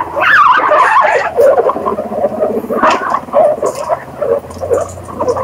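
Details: Several guinea pigs make rapid, irregular squeaking and chirping, about two notes a second. Short wavering whistles are mixed with a low rumbling murmur and occasional soft clicks.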